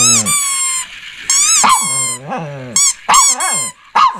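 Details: A Shih Tzu gives sharp, high-pitched barks and yips in irregular bursts.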